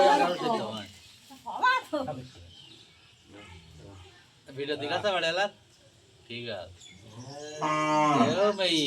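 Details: Cow giving birth to her calf; long, low harmonic moos come in bursts separated by quiet pauses, while people speak and pray aloud nearby in Bengali.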